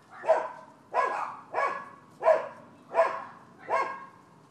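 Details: Neighbors' dogs barking in Florida, described as nuisance animal behavior: six sharp, harsh barks at an even pace, about one every 0.7 seconds, each with a bright, noisy ring that fades quickly into quiet.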